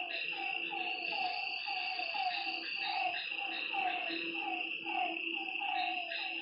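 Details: Lakeside frogs at night give a continuous run of short, rising croaks, roughly two per second, layered over a constant shrill insect buzz.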